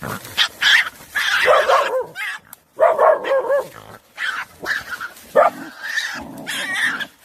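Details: Dogs jointly attacking a badger, 24 January 2021: harsh, broken barks and snarls in uneven bursts, some with a clear tonal ring, separated by brief silences, with scuffling noise and shrill squeals through the fight.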